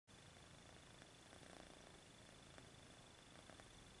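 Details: Purring kitten stretching its paws indoors, a steady low rumbling purr with soft pulsing beats throughout, over a faint constant background hiss and a thin high steady tone.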